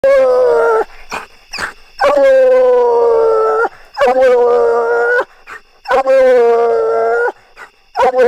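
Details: A Bluetick Coonhound bays treed during a coon hunt, each bark a long, mournful, slightly falling bawl lasting over a second, repeated in steady succession.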